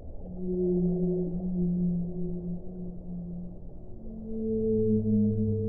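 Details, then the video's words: Long, low whale moans overlap one another. A deep sustained tone gives way to a slightly higher, wavering note, with a separate very low hum rising near the end, all over a soft watery rumble. "1 ora di suono delle balene"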